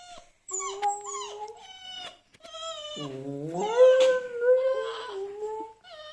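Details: Pet dog whining back at another dog's whines and howls played on a phone, with its owners joining the howl; long wavering whines, some gliding up and down, and a lower rising howl midway.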